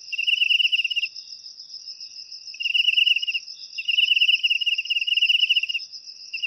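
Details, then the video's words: Cricket calling, used to drive off rats: a pulsed trill, a pause of about one and a half seconds, then two longer rapid pulsing trills, with a steady shrill tone behind. "Suara Jangkrik Untuk Mengusir Tikus"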